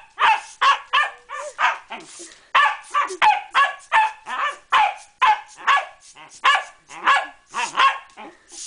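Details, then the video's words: A Pembroke Welsh corgi attacking a bicycle pump barks nonstop in a fast, steady run of shrill yapping barks, roughly three per second, each sharp and clipped. "Brutal Corgi Attack"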